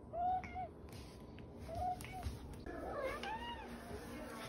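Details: Talking cat Dakota, The OK Cat, answers with several separate short arched meows spaced over a few seconds, each like a clipped "okay". A woman speaks between them asking for an okay for the fans.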